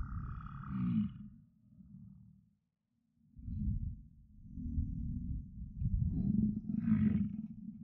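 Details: American bison bulls in rut at Yellowstone: deep, rough bellows rumbling low, breaking off into a brief silence near the middle before another long roaring bellow builds and continues to the end.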